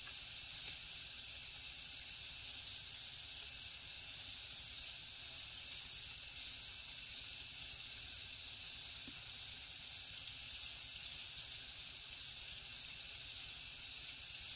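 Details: Chirping crickets in the jungle at night, a steady piercing trill with scattered higher pulsed chirps at uneven intervals, growing a little louder toward the end.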